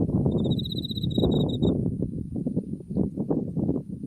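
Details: Autumn insects near a blooming buckwheat field, Mount Tsukuba on the skyline: one high, bright trill of fast pulses lasting over a second, then only loud low gusty wind rumble.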